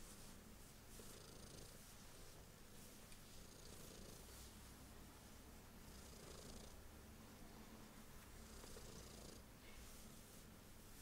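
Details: A female pet cat purrs during a belly rub, a deep, even rumble held without break, with brushing swishes of the rubbing hand rising and falling every couple of seconds.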